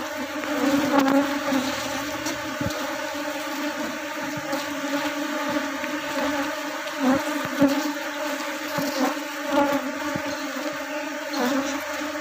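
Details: Kept honey bees in a hive while the beekeeper removes male drones to stop the colony from splitting; a continuous deep buzzing drone with even overtones throughout, punctuated by scattered taps and clicks from handling the hive.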